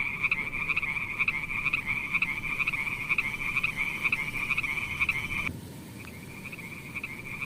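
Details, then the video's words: Frogs calling at night: a steady high trilling drone with pulsed croaks roughly twice a second, briefly dropping away after about five and a half seconds before resuming more quietly. "Funny frogs sound at night"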